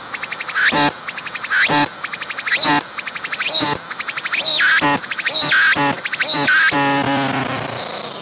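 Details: Cicada calling from close range on a tree, abdomen moving as it sings: rhythmic phrases about once per second, each a rapid pulsed buzz ending in a sharp upward-swooping note, repeated steadily and loudly throughout.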